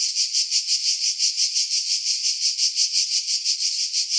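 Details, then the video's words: High shrill cicada song from pine trees on Skiros Island, Greece, July 2018, about 50 m above the sea; rhythmic pulsing buzz swelling and fading nearly three times per second, nothing else audible. "Cicada Sounds, July 2018 Skiros, Greece"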